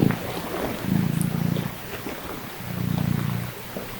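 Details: A little cat just after waking, with low rumbling purr bouts, two longer swells separated by softer stretches, over a hissing background.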